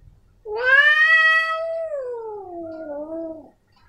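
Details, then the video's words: Male domestic cat giving one long meow of about three seconds, starting strong and clear, then sliding lower and softening into a drawn-out wavering tail; a quiet indoor background. "Suara Kucing Jantan"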